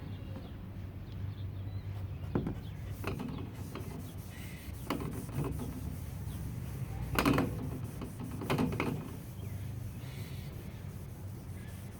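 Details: Mechanical clanks, rubbing and scraping over a low hum, with no animal sound. Sharp knocks and squeaks recur at irregular intervals against a steady rumble.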